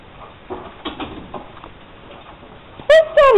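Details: Puppy missing its owner while he is at work, reacting to being asked where daddy is; after quiet human speech come two loud, high, tonal whining cries, the second sliding downward in pitch.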